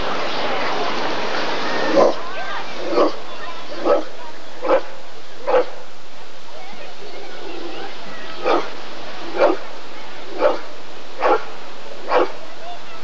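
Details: Rottweiler at the 1994 ADRK Körung breed survey: a burst of broad noise and voices opens, then short barks follow at an uneven pace, with a pause of a few seconds before a final run.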